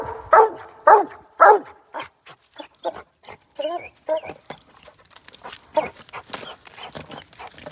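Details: Hound on a raccoon hunt in Iowa, treeing the animal at a hole. Three strong, ringing barks open the passage, followed by weaker, choppy yelps and whines mixed with rustling and background noise.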